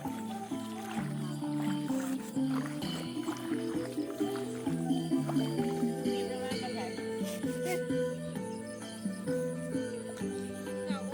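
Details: Instrumental music plays throughout with some speech and no animal calls audible.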